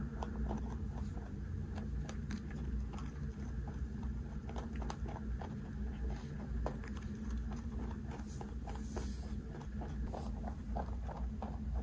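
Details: A large 3.2 kg rabbit crunches a hand-fed snack, with quick, irregular clicks and crackles of chewing close up.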